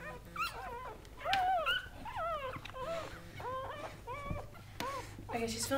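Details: Busy run of whimpers and yips from Goldendoodles while Sandy the mother dog delivers seven puppies; short wavering, bending cries follow one another quickly at varied pitches, with human voices talking softly alongside.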